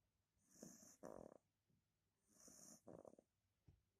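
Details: Two-month-old Beagle puppy named Johnny, relaxing and snoring: two rasping, rattling snore cycles about two seconds apart, each a hissy inhale followed by a buzzy vibrating exhale, in a quiet room.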